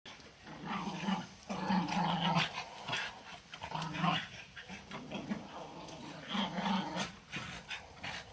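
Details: Thirteen-month-old Patterdale terriers growling while enjoying a chew stick: low, rumbling growls in short pulsing bursts that recur every second or so, with chewing noises between them.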